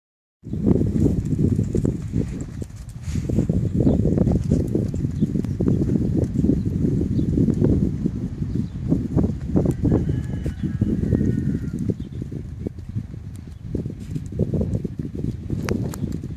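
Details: Peruvian Paso horse moving in a rapid, loose succession of low, dull hoof thuds that run almost without pause, with brief faint higher tones in the middle.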